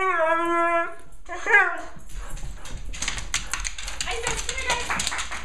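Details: An excited female Siberian Husky greets her owners home from vacation with a long, tuneful 'woo' and a shorter yelp, egged on when the other husky's name is called; she gets jealous.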